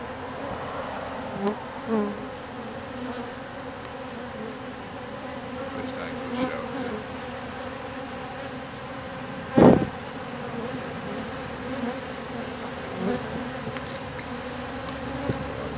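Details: October swarm of wild bees on an industrial wall, a one-to-one mix of workers and drones; layered humming of many bees with individual insects flying close by in louder swells, plus one sharp knock near the middle.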